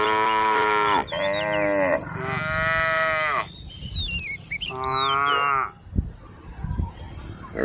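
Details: Cows wandering on a road call with three loud, lowing moos close together, then a fourth shorter one after a pause filled with high, twittering bird chirps and a couple of soft knocks.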